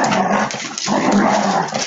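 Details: Husky dogs play-fighting give a continuous, loud, raspy growling tussle with no pauses, a thick snarling roar of mixed tones running through the whole stretch.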